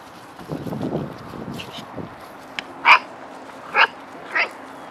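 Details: Vizsla puppies with Harley during a morning playtime session: three short, sharp, high yips close together near the end, each under a second apart, following a stretch of low rumbling and shuffling noise.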